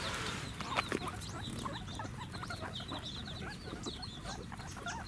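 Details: Guinea pigs at Ostrich Kingdom Sodegaura Farm in Chiba, Japan, 10 December 2018, begging for food: a dense chorus of short, high, upward-hooked squeaks repeating rapidly over a low murmur, with one louder sharp note near the start.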